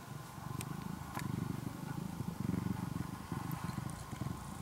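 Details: Engine-like purring from a tamed former stray kitten, orange and white, in Japan; a softer low rumble in uneven pulses, with a couple of brief sharp clicks early on.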